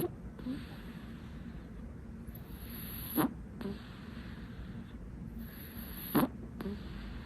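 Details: Sleeping kitten, filmed without it noticing, snoring: soft rhythmic breaths over a low hum, with two sharper snorting bursts about three seconds apart and a faint steady hiss behind.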